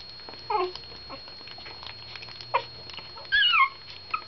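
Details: Two of four newborn puppies, whose rescued mother Bella came from a puppy mill bust, feeding for their first meal indoors; short high whimpers and squeaks, some rising then falling, separated by soft rustling and a steady electrical whine.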